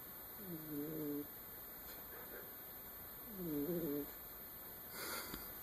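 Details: Domestic cat snoring in its sleep: two clear, nasal, whistling snores, each roughly a second long with a slight pitch wobble, spaced about three seconds apart, followed by a short rustle in a quiet room.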